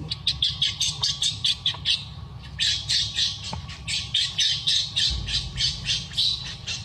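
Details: Baby monkey named Luno crying as its mother refuses to let it nurse, a run of shrill, high squealing cries repeated in quick regular bursts, several per second, with brief pauses between runs.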